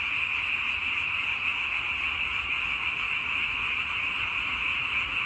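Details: Frog chorus, heard for relaxed zoning out: a dense, unbroken high-pitched trilling wall of many callers, steady in loudness, with no other clear sounds.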